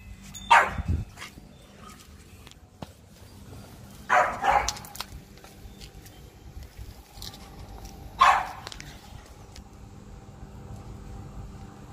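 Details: French Bulldog at play in a game of hide-and-seek, three isolated barks spaced roughly four seconds apart, some doubled, over a quiet room with a low hum.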